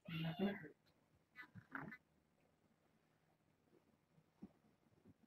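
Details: Kitten from a litter of six born August 29th to a family pet, indoors during a visit: two short harmonic meows close together in the first two seconds, then a quiet room with faint soft noises.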